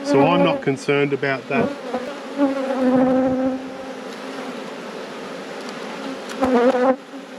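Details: Honey bees in a beekeeper's apiary during a hive inspection, a steady low droning buzz held at one pitch, with a brief harmonic voice-like burst at the start and another near the end, plus light clicks of handling.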